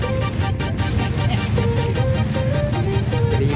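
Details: Loud music with a melody over a constant low engine-like rumble, and no animal sound standing out.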